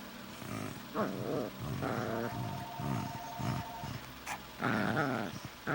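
Two Shih Tzu mixes trade low, throaty grumbles and moaning whines back and forth.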